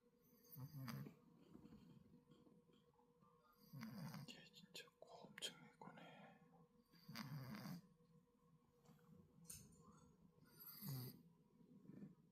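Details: Sleeping domestic cat, called a dog-like cat, snoring indoors: soft, low, rasping snores return about every three seconds, while quiet whispered human voices fill the gaps between breaths.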